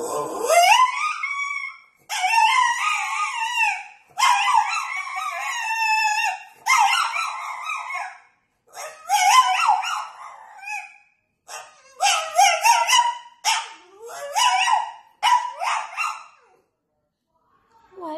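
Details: A French Bulldog begs for Chinese food with drawn-out, yodelling whines and howls in bursts of one to two seconds.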